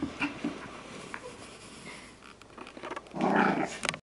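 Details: Labradoodle puppy Sasha at playtime: a few short, high yips early on, then a loud, rough, broadband growling burst of about half a second near the end, with scattered clicks and rustles between.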